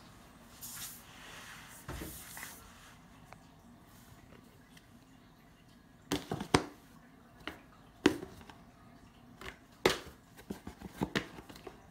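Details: Small room with scattered thumps, rustles and clicks, growing busier in the second half, and no animal voice.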